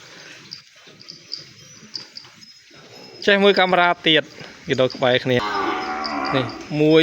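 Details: Separated calf in a pen calling for its mother. After three quiet seconds of faint background noise comes a quick run of short, harmonic bawls, ending in a longer drawn-out cry, with a human voice faintly mixed in.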